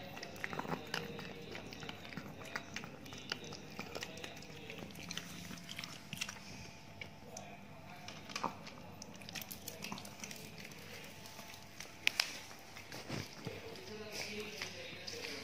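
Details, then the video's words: Ted, a big Chihuahua in Indonesia, munching dog food after several days of poor appetite. Dense, steady crunching and clicking bites run throughout, with one sharp loud snap later on. "ASMR DOG EATING DOG FOOD"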